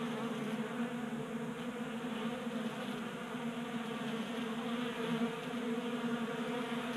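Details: Swarm of honey bees taking food from a 3D printed bee feeder in a Colorado garage during unseasonal January warmth; even, constant droning buzz with layered harmonics and small fluctuations as bees come and go.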